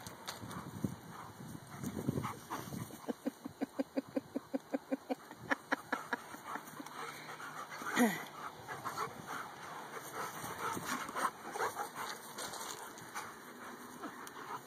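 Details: Two dogs, Dakotah and Kobi, described as best friends and as a white dog, interact in a playful male way. A quiet, rapid run of short pulsed sounds rises mid-clip, then louder isolated bursts follow, over a steady background hum.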